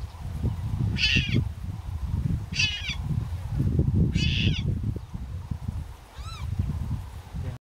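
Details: Leopard cub in the Serengeti crying: four high, arching, slightly wavering cries about every one and a half seconds, the last one fainter, over steady low rumbling wind or engine noise.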